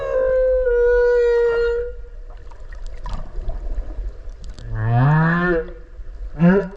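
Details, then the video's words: Close underwater recording of a whale off Okinawa during a swim: a long clear steady whistle-like tone, a quieter rumbling gap, then a loud upsweeping harmonic moan and a brief final yelp. "クジラの鳴き声 〜海の中の神秘のメロディ〜"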